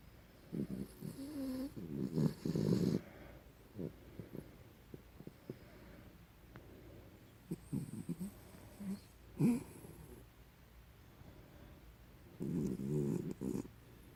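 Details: A sleeping dog, Nininha Maria, snoring: gravelly low breaths with a brief whine-like tone near the start, scattered snorts in the middle, and a final sustained rumbling snore near the end.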